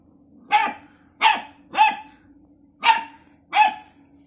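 A Labrador Retriever barks at a cat in a series of five harsh, sharp barks, spaced unevenly about half a second to a second apart. A low, steady hum runs underneath.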